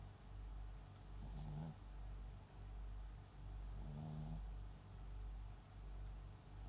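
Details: Papillon × Japanese Chin mix dog named MAX, asleep, gives steady low snoring breaths broken twice by short humming, whistly snorts about two and a half seconds apart.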